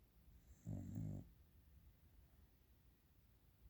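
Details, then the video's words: Sleeping dog snoring indoors while everyone sleeps; a single low rumbling snore lasting about half a second, with a faint high hiss above it, then quiet room hush. "the dog is snoring"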